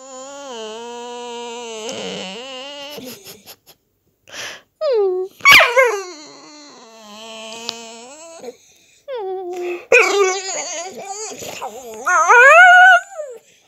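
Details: A Staffordshire Bull Terrier making funny noises: a long low wavering moan, short yips and snorts, a sharp click, then rising, warbling whines building to a loud high-pitched cry.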